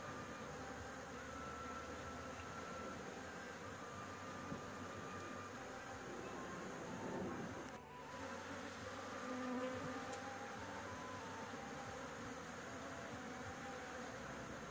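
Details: Honey bees buzzing around their rooftop nest as honey is harvested; a continuous low hum with short louder drones of individual bees flying past, one swelling near the middle, over constant background hiss.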